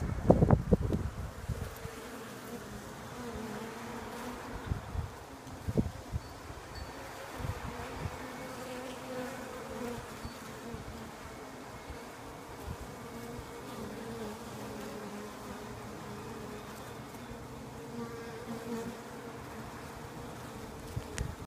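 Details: Bees produce a continuous droning buzz with steady low tonal bands throughout, after a short burst of knocking and rustling at the start.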